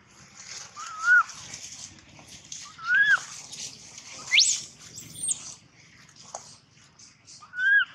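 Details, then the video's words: Loud crying from a baby monkey named Gino: short rising-falling whimpers repeated every couple of seconds, with one sharp upward squeal in the middle. "Poor baby monkey Gino crying sound loudly a long time till Quiet"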